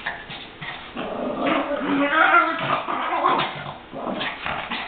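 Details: Pet Chihuahuas in rough play or a fight, giving rolling growls and snarls with a few whimpering notes, while a person's voice is heard in the background.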